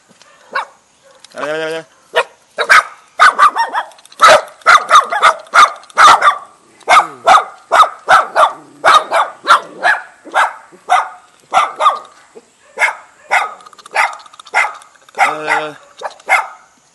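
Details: A Jindo dog and a Baduk dog greet a guest in a house's front yard in a mountain village near Jeonju, Korea, with a fast, steady series of sharp, loud yaps.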